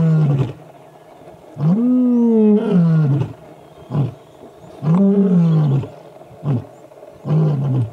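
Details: A male lion roars on the airstrip road at MalaMala Game Reserve, South Africa, a Northern Avoca male laying down a challenge to the Gowrie males: long deep moaning roars with rising then falling tone, separated by short grunts.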